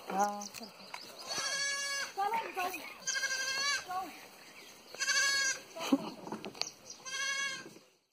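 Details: Pahadi goat in a village in Pauri Garhwal, bleating repeatedly in harsh, nasal, quavering cries about every one to two seconds, with a background hiss.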